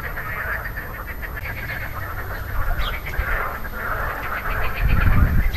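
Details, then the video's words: Chorus of marsh frogs, recorded 2 June 2013, calling with inflated grey vocal sacs: dense, rattling, pulsed croaks overlapping continuously, with low-pitched rumbling noise that grows louder near the end. "Frog calls"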